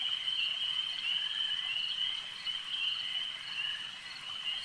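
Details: Lakeside frog chorus, many callers blending into a continuous shrill, pulsing trill at a constant high pitch, rising and falling gently in loudness throughout.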